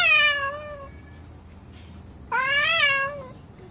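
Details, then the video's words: Angry domestic cats indoors: two drawn-out harmonic meows, the first falling and fading, the second rising then sliding down after a short pause, over a faint low hum. "My Angry Cats"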